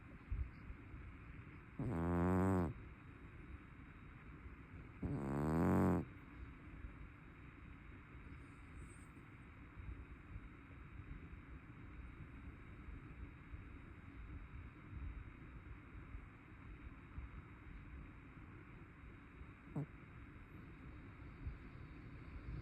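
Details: A sleeping chubby brown tabby cat gives two loud, grating snores three seconds apart, then goes quiet, leaving a low hum and one faint brief sound near the end.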